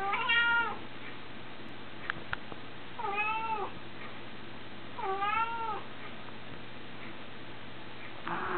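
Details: Three plaintive meows from a small red male house cat, each bent and wavering, arching up and sliding down, separated by two-second pauses over a faint constant hum, with a few sharp taps between calls.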